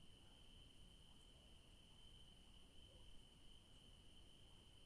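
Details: In a garden of yellow daisies at evening, crickets keep up a constant high, even-toned trill from start to finish, with quiet low background rumble beneath.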